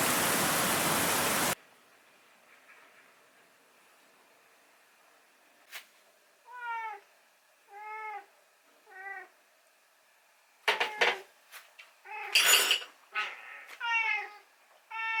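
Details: Rescued house cat meowing on a morning when breakfast is late, calling 'naan' for food. A burst of rushing noise at the start, then a quiet pause, then a run of short, arched, tonal meows, some louder and overlapping with clicks.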